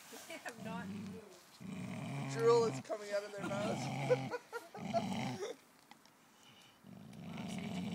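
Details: Low, gravelly growls come in five short bursts from a Golden Mountain Dog locked in a tug of war with another dog, with a woman's speech overlapping.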